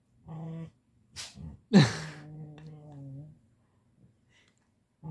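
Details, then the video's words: Bowie, a Siberian Husky being petted, gives low droning grumbles, a short moan, a sharp snort, then a long wavering groan lasting over a second, voicing his wish for more petting once it stops. "Bowie the Siberian Husky is incredibly vocal about being pet"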